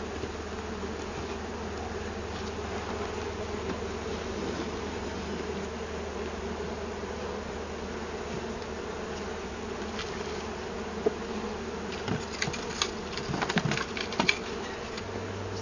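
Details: Wild honey bee colony from a hive discovered in a cut-down tree, bees gathering near a new hive body: continuous droning buzz of many bees, an even low hum beneath, and scattered knocks and clicks in the last few seconds.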